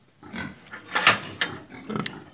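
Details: Pigs raised in the traditional local way on a farm in Assam, India; a run of rough, broadband grunts and snorts, with the loudest burst near the middle and shorter ones after.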